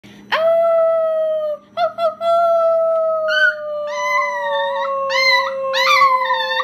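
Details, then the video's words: Female Chihuahua singing: one long sustained howl slowly falling in pitch, briefly broken near two seconds, then rising into wavering, yodel-like notes toward the end. "la chihuahua cantante"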